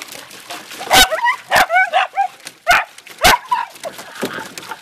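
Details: Pet beagle and dachshund dogs splash about playfully in water. Loud single barks alternate with short, wavering whines that rise and fall, while a person talks quietly in the background.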